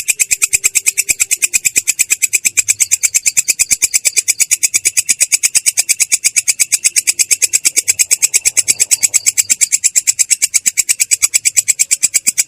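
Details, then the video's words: Unbroken rolling 'ngerol' trill of a katydid (belalang kecek), clear but coarse in tone: a fast, very regular train of harsh, high, buzzy pulses lasting about twelve seconds. "belalang kecek ngerol!!! suara jernih kasar"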